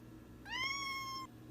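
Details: Domestic cat giving a single clear meow, rising at the start and then held level before ending abruptly, over a quiet background hum.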